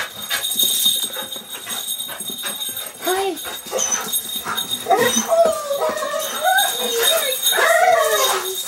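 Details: Golden Retriever and Terrier mix welcoming owners home after more than a week apart; people talk at first, then the dog breaks into long, bending moans and howl-like whines, several in a row, louder toward the end, with jingling noise.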